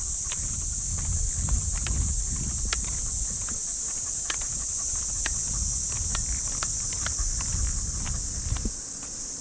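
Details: High, continuous buzzing of cicadas in Japanese park trees at early morning in summer, overlaid by frequent footsteps and scuffs on the walking path with a Shiba Inu.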